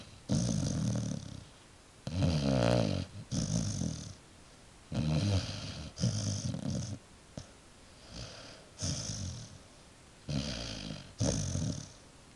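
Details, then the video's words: Dog named Wilma snoring herself to sleep; rough, rumbling low-pitched snores come in short repeated bursts roughly every second, some with a fluttering rattle, quiet breaths between, inside a room. "Dame Wilma - schnarcht sich ein"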